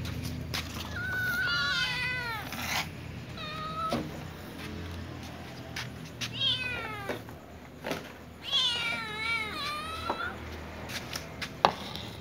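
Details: Several domestic cats, including a little ginger cat and a young white cat, asking for food; repeated loud wavering meows, some overlapping, clustered at the start, middle and near the end, with clicks and low background rumble.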